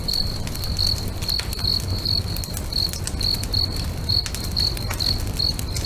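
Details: Sunset by a lake with crickets singing next to a bonfire; bright, thin chirps recur at a quick steady pace, about two each second, over the fire's snapping crackles and a continuous low hum.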